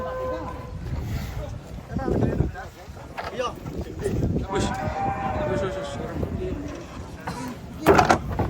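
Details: Cattle coming off a truck, one animal agitated: a drawn-out, lower-level moo sits under steady human chatter and clattering, with a sharp knock near the end.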